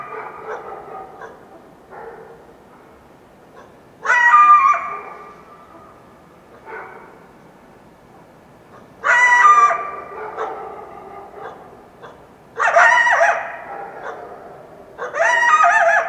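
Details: Dawn after a full moon night in the Washington Cascades foothills, a wild coyote repeatedly yelps: four loud, shrill, quavering bursts every three to five seconds, interspersed with softer yips and echoing tails in an otherwise quiet setting.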